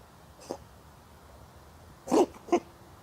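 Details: Lap-sitting street cat lets out sneezes: a faint puff early on, then a strong sneeze followed almost at once by a second short burst, otherwise quiet surroundings.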